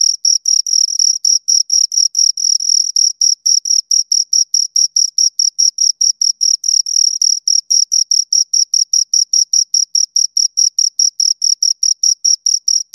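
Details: Steady chirping from two crickets: clipped, shrill pulses at high pitch in an unbroken even run, roughly two to four per second, each with a faint upper overtone, nothing else audible.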